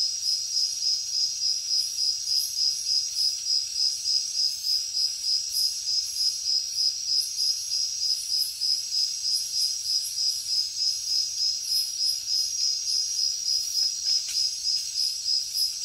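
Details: Jungle at night with crickets chirping: a very regular, shrill pulsed trill repeating about three times each second without pause, backed by a thin high insect whine that rises and fades.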